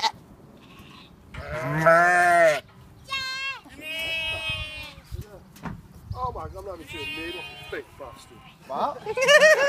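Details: Sheep and lambs on a farm in May, loud quavering bleats of varied pitch, some long and wavering, others short and high, several animals calling in turn, with a person shushing and brief talk.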